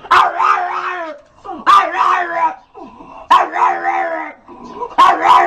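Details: A dog yowls loudly in four long, quavering cries, roughly one every one and a half seconds, each starting sharply and sliding down at the end.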